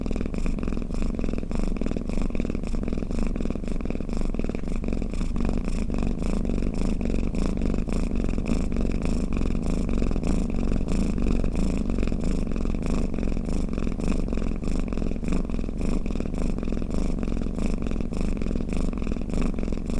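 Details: Sleeping cat's snore, a long level low-pitched rumble with rapid fluttering pulses and gentle breath-linked swells, nothing else heard.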